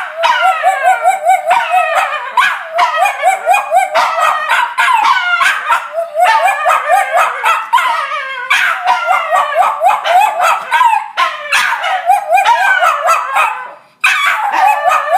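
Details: A Cairn Terrier and a Jack Russell Terrier greet their returning owner with howls; dense, quavering yodel-like howling in bursts of about one to two seconds, pitch sliding up and down, with a brief pause near the end.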